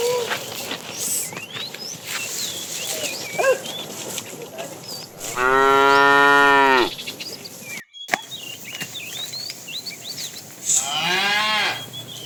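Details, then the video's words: Afternoon herding of tame cows: a fat cow calling the female lows twice, first a long, full moo of almost two seconds, later a shorter, fainter one, with birds chirping throughout. "The funny sound of a fat cow calling the female"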